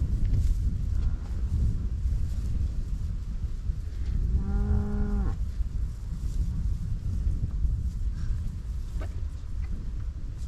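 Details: Cows grazing in a meadow in Dutch farmland, Netherlands: one short, steady moo of about a second with rich harmonics, in the middle of the clip, over constant low wind rumble.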